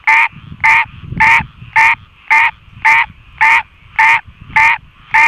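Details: Frog singing in the rain, harsh nasal croaks given in an even series roughly every half second, ten in a row, loud and close over soft low patter and a faint continuous chorus behind.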